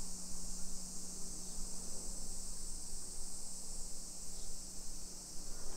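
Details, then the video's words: Cicadas singing at 1 PM on 28 July 2021 in suburban Nisshin, Aichi Prefecture, Japan, during a walk through a hillside residential area: an unbroken, shrill, hissing chorus over a constant low hum. "Summer Cicadas Sounds"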